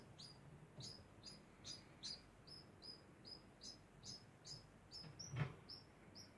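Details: Degu making a continuous sound, a string of brief squeaky chirps about every half second, high and slightly downward-sliding, with one soft thump near the end.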